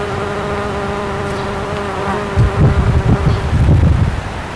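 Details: Bombus ignitus bumblebee taking nectar from satsuki azalea flowers, May 2012; an even, low buzzing drone for the first two seconds, then masked by heavy low rumbling thumps as the sound ends.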